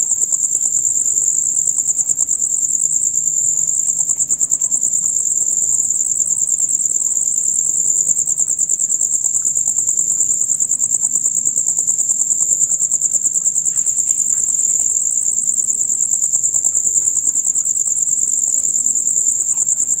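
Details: Male crickets keep up a loud, rapid chirping concert, typical from dusk until dawn; a piercing, high, evenly throbbing trill fills twenty unbroken seconds over a quiet low hum.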